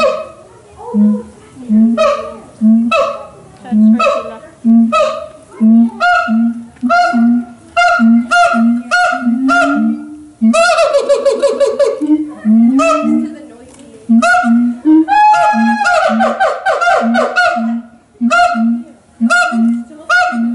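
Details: Siamang (Symphalangus syndactylus), an endangered ape, singing at Los Angeles Zoo: loud resonant booming hoots repeated about twice a second, broken by rising barking bursts and harsh screeching shrieks near the middle and toward the end.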